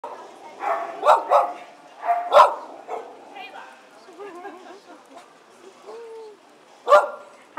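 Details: Poodles gathered at a coastal picnic reunion in July 2011: several sharp barks in quick bursts, mixed with people talking and chattering around them.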